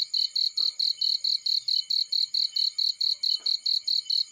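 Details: High, ringing cricket chirps repeat evenly at about four a second in a field, while a couple of soft crackles from a burning fire break in.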